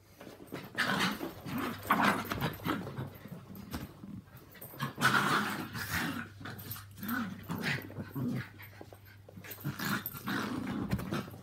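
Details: Three dogs indoors during a mad half hour of play: Walt, a three-year-old Yorkie, Milly, a four-year-old Yorkie, and Harvey, a two-year-old Maltese. Bursts of rough, low growls and snarls come and go, with brief quieter gaps.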